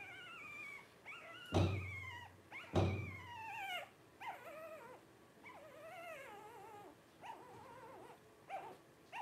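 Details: Twelve-day-old Blenheim Cavalier King Charles Spaniel puppies from a litter of five cry in wavering, drawn-out whines, broken by two sharp thumps, then a run of shorter squeaky whimpers.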